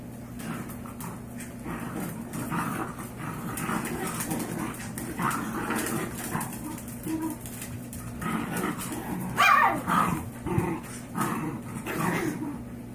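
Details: Five-week-old Yorkshire Terrier foster puppies with their five-year-old mother, who has had enough of her litter; a run of soft whines and grumbles, then a high squealing yip near the end, over constant low hum.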